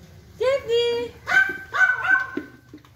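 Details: Jack, a neighbor's playful corgi, lets out a drawn-out whine followed by two higher, ringing barks in quick succession, clear and close.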